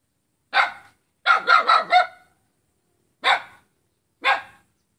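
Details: Dog barking at its own neighbour on Jalan Kolonel Sugiono, Selat, Kapuas, Central Kalimantan, Indonesia, on Saturday 5 August 2017; one sharp bark, then a quick burst of four, then two single barks about a second apart.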